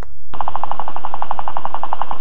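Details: A guinea pig chatters its teeth in a rapid, even run of clicks, a sign that it is angry and wants to be left alone.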